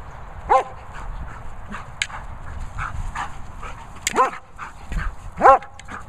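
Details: German Shepherd named Lucy at play with a boomer ball, giving short sharp barks: one early, then a pair near the four-second mark and another about a second later, over low background rumble.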